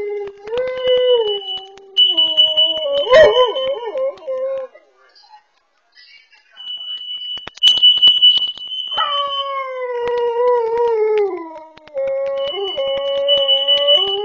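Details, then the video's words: House dog alerting to carbon monoxide, recorded by a pet camera: repeated drawn-out howls with quivering breaks, one pause of near silence, and a piercing steady alarm tone sounding on and off throughout. "Dog saved from carbon monoxide through Barking Alerts"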